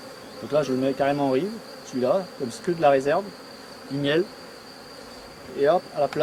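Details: Honey bees of a colony with laying workers, being rescued while a built empty frame is added nearby; loud buzzy bursts arrive every second or so, their droning pitch swooping up and down as bees pass close.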